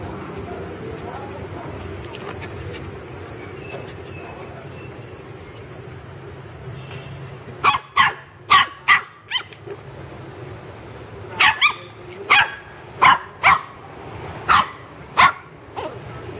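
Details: Playful pet puppies in a garden burst into a run of about a dozen short high yips and barks after a quiet stretch, coming in two quick clusters over steady background hum.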